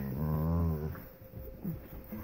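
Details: Golden Retriever, a mother dog, at Christmas: a low droning growl-like groan with a rich stack of overtones lasting under a second, then quieter snuffling sounds and a woman talking indoors.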